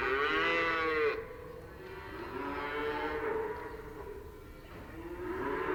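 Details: Cows lowing in a relaxed way: a loud, bright moo ends abruptly after a second, followed by softer, drawn-out lows that rise and fall.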